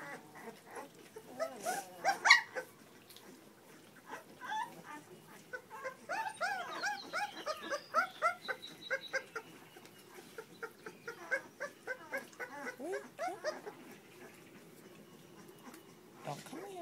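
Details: Puppies whimpering and squeaking in quick, overlapping bursts, short arched cries repeated several times a second, with louder clusters around two and eight seconds and a few lower yelps near the end.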